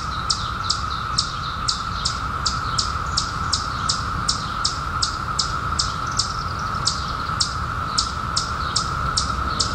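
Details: Chorus of periodical cicadas from their 2021 emergence after a 17-year hiding: one constant humming tone that never breaks. A bird's sharp, high chirps are layered on top, spaced roughly every half second for the whole stretch.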